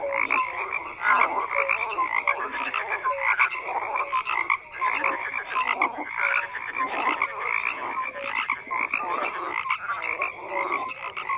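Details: A thick chorus of croaking frogs pulses steadily throughout, harsh grating calls stacking over one another, punctuated by short whistle-like notes every second or so.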